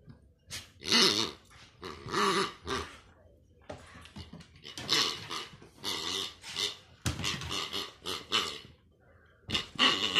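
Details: Dog playing with a new pig-shaped toy indoors; bursts of rough growling and snuffling grunts, broken by short pauses, in a small room, with squeaky toy noises now and then.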